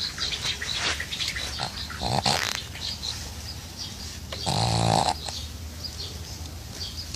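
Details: A sleeping pug lying in a bucket of water gives coarse, snorting snores. Broadband rasping breaths peak in two loud, buzzing bursts near the middle and end, over a steady gurgling, hissing background.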